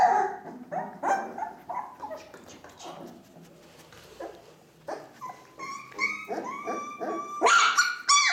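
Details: Ca de Bou puppies at four weeks, Bea and Bubu's litter, indoors: a busy string of short yips and whines, some clear steady-pitched whistles, with sharper barking yelps bursting out near the end.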